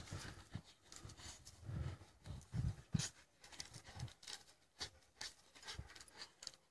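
Australian Shepherds tussling over a stick, with short low growls and quick panting breaths.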